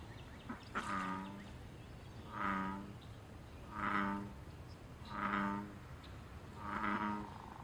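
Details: Wild American bullfrog calling in a pond during mating, territory and fighting activity: five deep, resonant, harmonic croaks, each about half a second long, spaced roughly every one and a half seconds, with faint background hiss.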